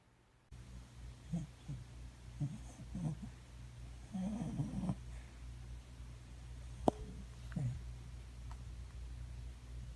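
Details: Coco, a nine-year-old brown cockapoo, dreaming and snoring: soft snuffling snores and faint whimpers come in short bursts through the first five seconds, with another near the end, over a steady low indoor hum and one sharp click.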